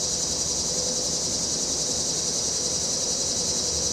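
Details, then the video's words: Cicadas singing on a breezy September afternoon in 2023, captured with a phone and stereo microphone: a continuous high, shimmering buzz dominates, with faint traffic murmur beneath. "Windy afternoon, cicadas, traffic, deck umbrella"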